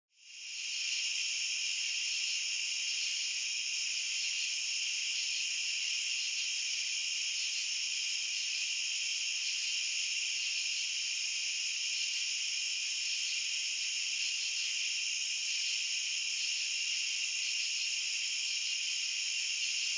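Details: Crickets calling in a dense, unbroken chorus: shrill, high-pitched trilling layered in several steady bands, rapid pulses blending into a continuous ringing drone with no other sounds.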